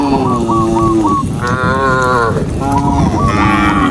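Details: Group of tame cows moving along a forest road during morning herding; overlapping moos sound continuously, one higher bellow rising and falling in the middle, over steady low background noise.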